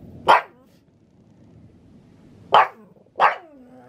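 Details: Pug named Maria in Saitama, Japan, reacting to thunder with three sharp, loud barks, one early and two close together near the end, a faint trailing whine after the last, over quiet low background rumble.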